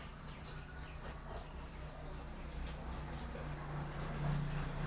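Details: A cricket chirps steadily at night, high pulsed trills repeating about four times a second.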